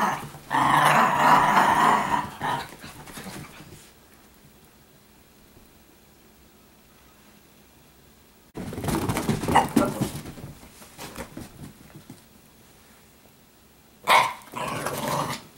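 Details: Italian Greyhound girls at play together indoors, normal everyday roughhousing; two-second burst of harsh growling, then quiet scuffles, a second growly flurry near nine seconds and a brief final one at the end.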